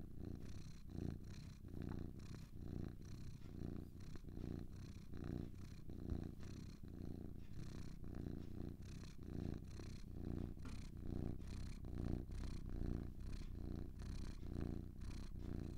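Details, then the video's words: Two cats purring steadily over a long stretch, a low buzzing rumble swelling and easing around seventy times a minute, calm and unbroken, nothing else audible. "Two Cats Purring"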